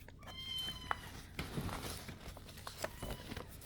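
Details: Kittens shut in a bathroom and unhappy about it: a bright, high, level meow early on, then clattering, knocks and scuffling noises indoors.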